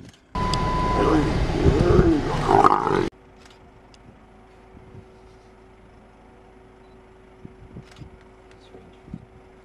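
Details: Wild lion pair mating on the S21 road in Kruger National Park, South Africa, the male one of the Jock males: a loud, harsh, rasping growl lasting about three seconds, then quiet bush with faint clicks and distant sounds.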